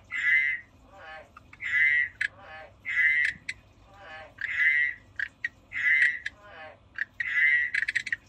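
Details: Frog croaking steadily, six loud bright calls roughly every 1.3 seconds, each a harmonic tone with a raspy pulsed lead-in, separated by short quiet gaps.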